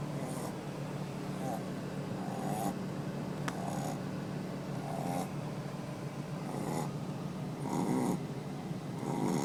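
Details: A Shih Tzu named Bebo, deeply asleep, snores in soft, rhythmic rasping breaths, roughly one every second or so.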